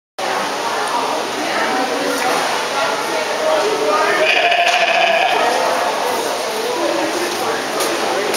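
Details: Sheep at the 2011 Houghton County Fair trying to get attention, giving a wavering, nasal bleat midway through over constant crowd chatter and fairground noise.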